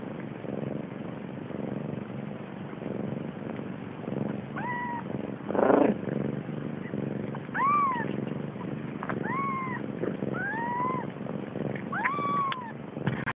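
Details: Hungry Siamese kittens, born 30 October 2011, crowded together while nursing, give about six short arched meows, each rising then falling, over a steady low purring and suckling rumble.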